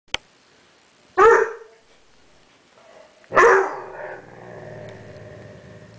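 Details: Seven-month-old dog barking at its own reflection in a mirror: two sharp, loud barks about two seconds apart, the second followed by a low, rumbling growl-like tail, with a click at the start.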